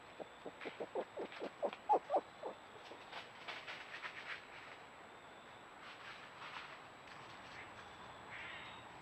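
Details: A playful red fox mating pair, caught on a trail camera on wooded land in Hendersonville, North Carolina, gives a quick run of sharp, hoarse yaps that fade into softer, scattered calls.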